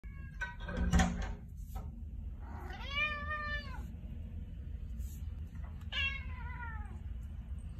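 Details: Persian cat named Shifu, a pet indoors, vocalizing as if trying to say something: two drawn-out, arched meows about three seconds apart, the first longer and steady, the second falling away, after a few short knocks.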